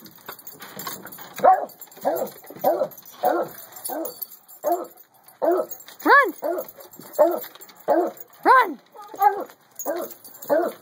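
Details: Pet beagle and beagle/treeing Walker coonhound mix waiting outside, asking to come into the house; short arched yelping barks, some whine-like, repeated about twice a second in uneven bursts, with a person speaking softly between them.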